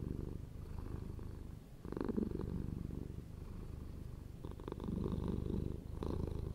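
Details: Deep, vibrating purr of a pet cat, continuous and low, growing louder in two breathing surges with softer rumbling between them.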